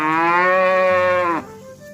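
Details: Cattle in a herd walking home to the pen in the evening: one strong, steady moo lasting about 1.4 seconds with rich even harmonics, ending in a sharp downward drop, then quiet background.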